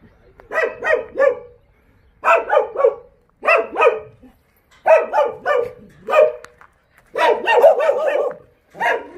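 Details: Barking Jindo dogs at the breeding kennel of Jindo Dog Theme Park in Jindo County, sharp barks coming in tight clusters of two to four, roughly every second or so, clear and close.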